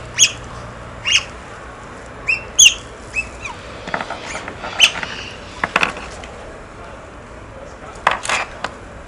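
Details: Otters at play with stones utter brief, sharp, high-pitched chirps in quick succession, some slurring downward, mixed with scattered clicks and taps.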